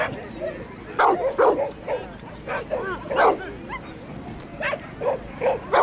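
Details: Border Collie named Jim at a Grade 3 agility competition, Lanark Racecourse, 19 April 2009: sharp barks in irregular bursts, several close together, over steady crowd chatter and background voices.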